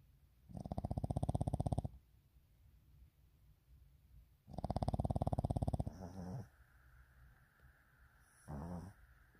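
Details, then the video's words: Puppies asleep make two loud rumbling, pulsed snore-like bursts over a second long each, then shorter soft grunts and a brief snuffle near the end. "How My Puppies Sound When Sleeping"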